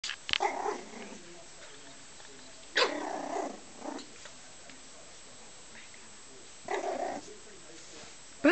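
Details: Pet dog indoors that likes jumping behind sofas, giving three short, rough, harsh barks spaced a few seconds apart in a small room, followed by a brief murmur of a person's voice.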